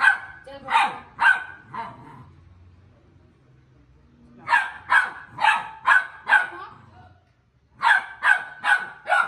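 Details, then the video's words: Pit Bull Terrier puppies meeting and play-fighting give clustered bursts of sharp, high puppy barks, a quiet pause of a few seconds in the middle, then two more quick runs of yapping. "When two Pitbull Puppies Meets || Pitbull Puppy Fighting"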